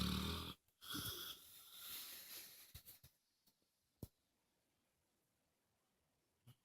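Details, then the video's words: Moses the dog snoring loudly indoors: a rough, wheezy breath lasting about three seconds with a brief gap, then quiet with a few soft clicks. "Snoring Dog"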